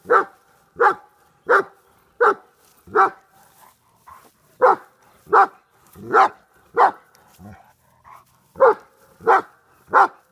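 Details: Large male German Shepherd of Czechoslovakian bloodlines, about 125 lb, confronting a groundhog: loud, sharp barks repeated in a steady run, roughly thirteen in ten seconds with brief pauses between bursts, in an otherwise quiet setting.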